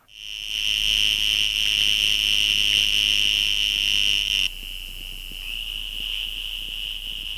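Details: A Western Green Toad gives its mating call, a high, steady, buzzy trill held for several seconds; like the Sonoran toad, it usually sits a yard or so from the water while calling.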